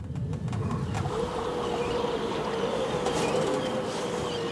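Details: A grey seal sings a long, steady, haunting moan that wavers slightly in pitch and carries over the water, heard over a background hiss. Some suggest such calls may pass between family members, such as mother and pup.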